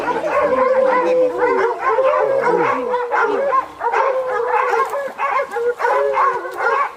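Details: Pack of hounds hunting leopards in Zimbabwe, giving a near-continuous chorus of long, quavering howls and bays. Several voices rise and fall over one another, with a few breaks for breath.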